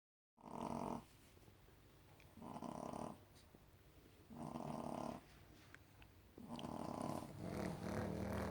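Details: Female Shih Tzu puppy asleep beside a porcelain figure, snoring loudly indoors: four throaty, buzzing snores of about a second each, evenly spaced about every two seconds, the last one drawn out longer.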